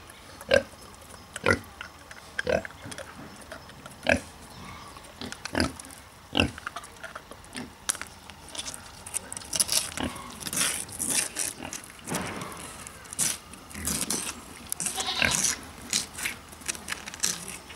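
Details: Mangalica pigs, the Hungarian woolly breed, grunting in a German mini zoo enclosure in the Ruhr area. A pair kept there snuffle and cuddle. A series of short, rough grunts comes first, then a denser stretch of hissy, rustling noise.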